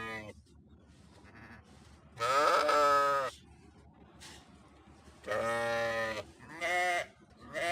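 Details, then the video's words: Sheep bleating in three main bursts: a long quavering baa, then after a pause a drawn-out tremulous call followed by a shorter one, with low background noise between. "صوت خروف"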